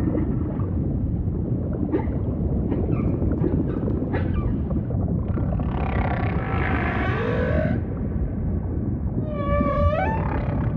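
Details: Humpback whale song in an ocean soundscape: clicks and brief tonal chirps over constant low rumble, a broad buzzy, harmonic-rich passage in the middle, then a sweeping, bending cry rising and falling near the end.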